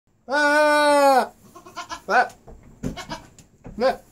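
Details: Nigerian Dwarf goat, a 3-year-old kept by owners, bleating to communicate with them: one long, loud, steady nasal bleat, then several shorter, softer wavering bleats and small murmured sounds.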